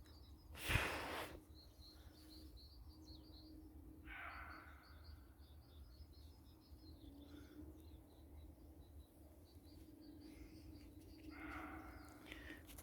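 Roe deer giving harsh, hoarse barks spaced several seconds apart in quiet woodland.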